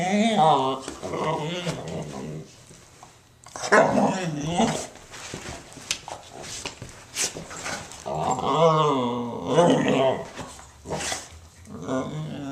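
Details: Pet dog indoors producing strange grumbling, growl-like vocal noises in repeated wavering, rising-and-falling bursts, with some human speech mixed in within a small room.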